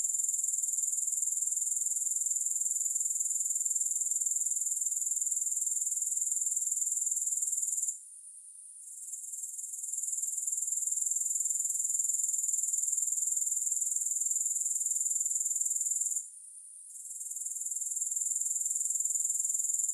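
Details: Grasshoppers, recorded with no music, give a steady, very high, hissing trill of rapid even pulses. It cuts out twice, briefly near 8 and 16 seconds, then fades back in.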